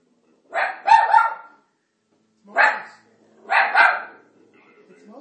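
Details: Italian Greyhound named Marty reacting to Moses on screen in The Ten Commandments with loud barks: a double bark, a single, then another double, with brief silences between.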